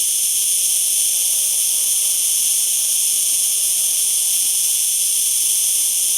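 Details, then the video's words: Cicada singing: an unbroken, steady, high-pitched buzzing hiss holding level for the whole stretch, with several bright stacked bands in the upper range and no pauses or other sounds. "Cigarra .Datos y Características y sonido."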